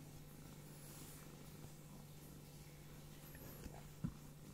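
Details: Pet cat Ping-Ping lies resting indoors in a small room, giving a soft, steady, low purr that drones on without a break, with a faint click near the end and quiet room noise.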